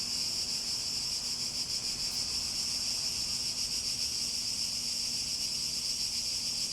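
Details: Cicada chorus: a continuous shrill, high buzz with a fast, even throb, unbroken for the whole stretch, over a faint low hum.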